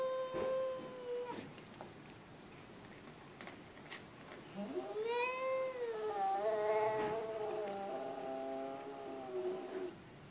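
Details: Cat said to talk like a human: a short level meow, a pause, then a long, wavering, talkative meow that rises, dips and trails on for several seconds, with faint background clatter.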